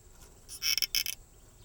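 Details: A male true katydid (Pterophylla camellifolia) up in the tree canopy, late summer, gives a quick burst of harsh, raspy pulses, the familiar "katy-did" rhythm: a mating call to attract a mate.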